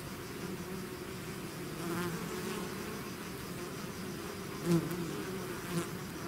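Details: A swarm of bees out of the hive fills the air with an even, low buzzing drone; one close bee passes loudly near the end.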